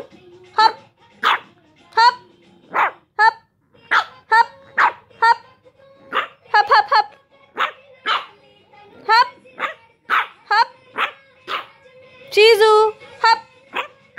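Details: Shih Tzu puppy arguing with her sister: a long run of sharp, high yapping barks repeated roughly every half second, with a few whiny rising yelps near the end and a person calling over them.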